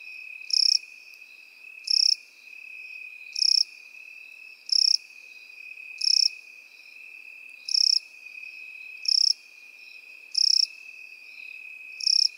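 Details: Grass crickets in a field repeat short buzzy high chirps about every 1.3 seconds, nine bursts, with a steady continuous insect trill beneath them throughout.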